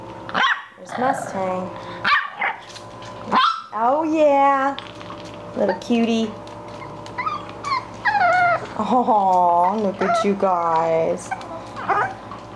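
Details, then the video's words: Playing English Bulldog puppies let out high yips, small barks and long arching whines, some rising then falling, scattered over several seconds while a woman talks softly to them in a sing-song voice. "English Bulldog Puppies Playing"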